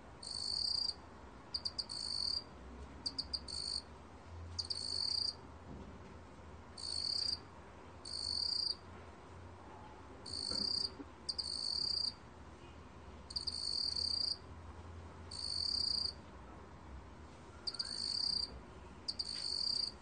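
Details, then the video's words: Black cricket (meokgwitturami) from the National Institute of Biological Resources, 2020, sounding steady bursts of bright, high chirping, each trill near a second long with brief stuttered pulses between, over a quiet background. "먹귀뚜라미, 여러번 듣기, 곤충소리"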